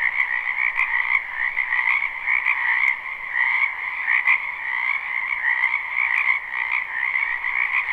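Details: Spring wetland frogs croaking together, recorded live behind a house: a dense, rhythmic mass of trilled croaks that throbs steadily, with a few brief tapping clicks over the chorus.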